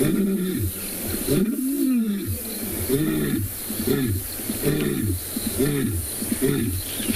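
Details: Lion (Panthera leo), probably a male, roars in a run of deep, powerful grunting calls, about one every second, at sunset on 10 December on a warm 34-degree day in Tswalu Kalahari Reserve, South Africa.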